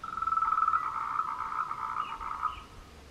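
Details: Tree frog calling in courtship on the Meiling Wulong trail, Nanxi, Tainan, Taiwan, 26 April 2018; rapid series of short pulsed notes around a steady mid pitch, about four per second, fading after two and a half seconds.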